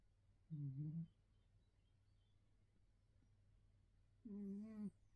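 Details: A neutered male Bengal cat in England snores while sleeping, two slow, low, throaty breaths spaced several seconds apart.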